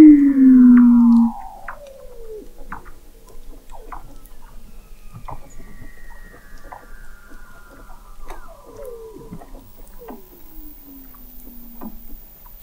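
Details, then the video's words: Weddell seal vocalizations recorded in November 2017 at the McMurdo Oceanographic Observatory, 21 m beneath the sea ice of McMurdo Sound, Antarctica: a loud, brief low tone opens, followed by repeated downward-gliding whistles and chirps amid faint clicks. "Song of the Antarctic Weddell Seal"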